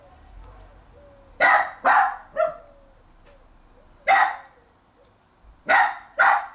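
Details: Jack Russell Terrier in a garden trying to get a bone off another dog; quick bursts of two or three sharp barks separated by short pauses, with faint whines in between.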